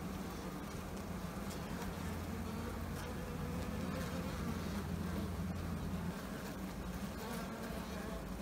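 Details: European hornet's deep, steady wing buzz hums low beneath the higher drone of many Carniolan bees as it tries to enter their hive's brood chamber before the bees attack it.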